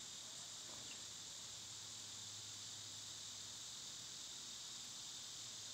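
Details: Cicadas in summer, heard among other summer insects; a steady, unbroken high-pitched hiss-like drone carries through the whole stretch, with a faint low rumble beneath.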